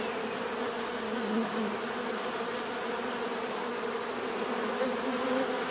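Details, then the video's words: A swarm-like hum of bees, constant and dense, with occasional louder passes as individual bees fly nearer, over a faint steady high whine. "bees therapy relaxing natural buzzing sound"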